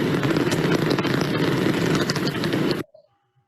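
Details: Natterer's bat (Myotis nattereri) echolocation heard through a bat detector: a rapid, irregular, fairly loud crackle of clicks at roughly the same frequency as the common pipistrelle, and hard to distinguish.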